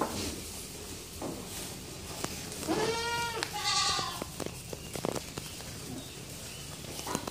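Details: A young female goat gives a drawn-out, quavering bleat over about a second and a half, breaking into a rougher second part, amid scattered knocks and rustling.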